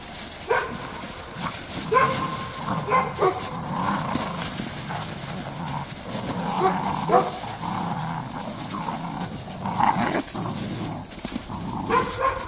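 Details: Belgian Malinois puppies, eight weeks old, playing in snow: short high-pitched yelps and whiny barks come in irregular bursts throughout, some overlapping, over steady rustling and crunching noise.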